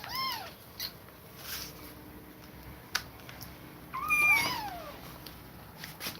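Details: Kittens separated from their mother after her repeated attacks give high, arching meows, a short one at the start and a longer falling cry near four seconds, with sharp clicks and knocks indoors between them.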